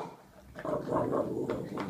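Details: A male Boston Terrier makes low, nasal grumbling grunts in short, uneven bursts while being silly chewing his bone.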